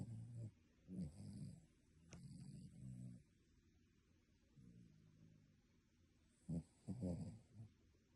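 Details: A dog asleep, snoring like a human: several short, low, gurgling snores and snorts come in uneven bursts, separated by quiet breathing, with louder rattling snorts near the end.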